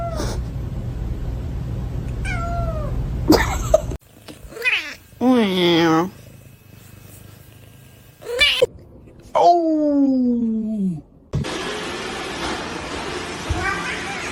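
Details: Several separate house-cat meows in abruptly cut segments: short falling mews, a wavering drawn-out wail, then a long meow sweeping downward, with a voice in the background and a burst of broadband noise at the end.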